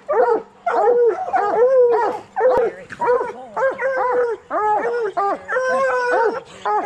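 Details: Coonhounds, bluetick and black and tan, in training to hunt raccoons: rapid bursts of loud, harmonic baying barks with short rising-falling yelps, several voices overlapping in a steady barrage with brief pauses, and a faint low hum behind.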